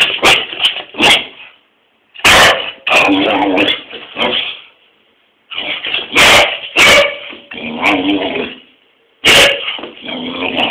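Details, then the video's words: English Springer Spaniel barking at its owner for no apparent reason; bursts of sharp, loud barks mixed with drawn-out whining, yelping vocalizations, coming in clusters separated by short silences over about ten seconds. "springer spaniel barking"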